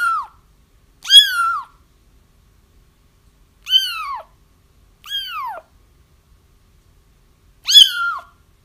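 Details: Kitten cries meant to lure a feral mother cat into a trap. Five loud, rich, falling mews arrive at irregular intervals, separated by near-silence.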